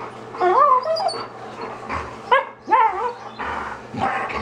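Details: Two dogs playing together in a home kitchen, one knocking the other down. High, wavering whines that rise and fall, then several short harmonic yips in quick bursts. A woman's voice reacts nearby and there is a low steady hum.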